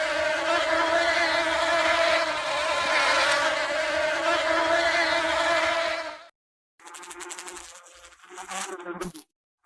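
A honey bee gives a continuous droning buzz, full and even, with stacked harmonic overtones. After a brief break the hum returns in shorter, wavering bursts as the bee moves closer and away.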